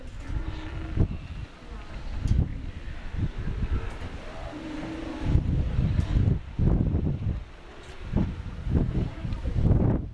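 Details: Wild Steller sea lion bulls wrestling for mating rights near Florence on the Oregon coast. Low, harmonic growling roars come in a couple of sustained bursts under heavy wind buffeting and rumbling noise.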